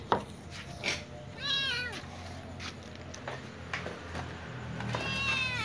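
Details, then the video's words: Little ginger cat and young white cat, among other cats, meowing while asking for food; a few high, arched meows with clear harmonics, one near the middle and another at the end, with clicks and low room hum. "Little ginger cat meows with young white cat asking for food with other cats too"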